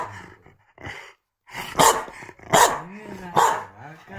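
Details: Corgi barking to interrupt its owners as they chat. Three sharp, loud barks come roughly every 0.8 seconds in the second half, mixed with people talking soothingly to it indoors.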